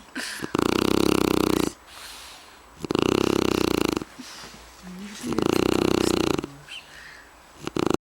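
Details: Shar Pei asleep and snoring: loud, raspy, rumbling snores lasting about a second each, repeating every two to three seconds with quiet breaths between.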